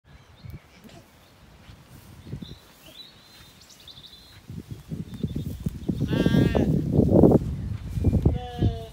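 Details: Zwartbles lambs, settled after weaning, graze in an orchard in County Kilkenny, Ireland, on an evening in beautiful light; steady low munching and rustling builds, then one clear wavering bleat and a shorter second call near the end.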